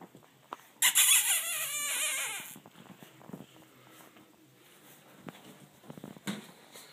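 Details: Almost six-week-old blue Boston Terrier puppies at play after bath time indoors; a loud, tonal squeal lasting under two seconds slides downward in pitch, followed by quieter scuffles, patter and a brief noisy burst.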